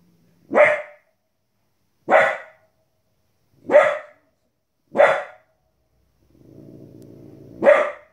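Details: Border Collie puppy, a 15-week-old female, reacting to wolves and other animals on television with five sharp barks spaced over one to two seconds; low TV narration plays briefly before the final bark.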